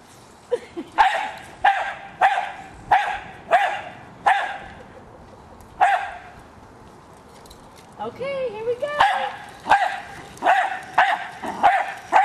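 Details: Female Jack Russell Terrier attacking a remote-controlled toy car, giving sharp barks in quick bursts, about a dozen spaced roughly a second apart, with a short stretch of human voice in the middle.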